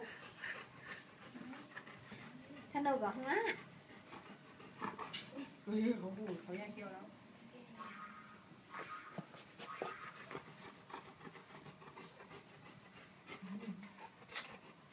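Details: Alaskan Malamutes fighting give rough, wavering growls and yowling grumbles that rise and fall in short bursts, with people talking through much of it.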